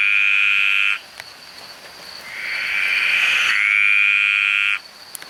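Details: Green tree frogs singing very loudly in a rainforest: a high, steady, buzzy trill in two long bursts.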